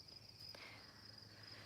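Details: Crickets in Wisconsin in late summer, near a lake, give a steady, high-pitched trilling chorus running unbroken in the background, heard during the day as summer winds down.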